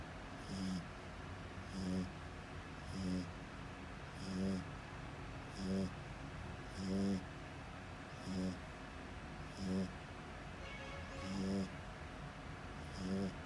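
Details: French Bulldog sound asleep, snoring in a steady run of about ten short raspy snores, one roughly every second and a half, each a nasal buzz rising then dropping, faint room hum behind.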